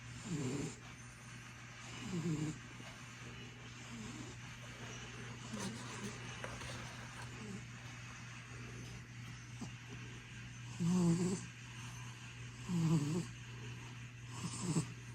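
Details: Sleeping domestic cat, recorded 2 December 2024, snoring with soft, rough, low breaths repeating roughly every two seconds, some louder than others, over a constant low electrical hum.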